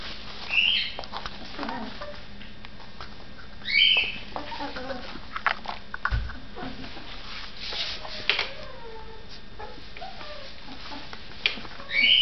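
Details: A 3½-week-old Border Collie puppy playing in a living room gives high, thin squeaky whines and softer whimpers at irregular intervals.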